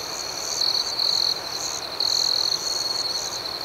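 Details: Nighttime crickets: two loud, high, pulsed trills stand out against a continuous ringing insect chorus, each lasting under a second and separated by a short pause.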